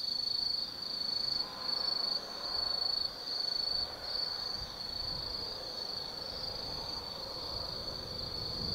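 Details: Autumn night insects in the forest of Tsukimi no Mori, Kaizu City, Japan: high ringing trills delivered in bursts about a second long at first, then a steadier continuous buzz, with faint low ambient noise.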